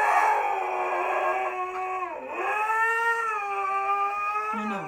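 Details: Dramatic protest howl from Zeus, a stubborn Siberian Husky refusing to go for a walk: a long drawn tone that dips sharply near the middle, then rises and holds, ending with a brief yelp-like note.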